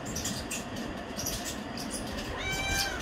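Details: Areesha, a pet cat, demanding chicken with a threatening meow. The clip is mostly a steady low household rumble. One short, clear, tonal meow near the end rises and then falls.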